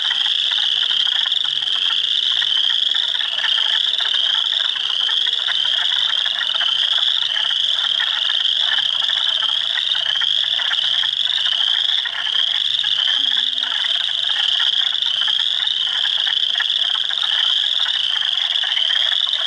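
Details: Spring chorus from a swamp at Heartland Forest, Ontario, April 2, 2022: hundreds of frogs such as Spring Peepers, Wood Frogs and Eastern Chorus Frogs, shrill overlapping peeps steady throughout with a grainy trilling layer beneath.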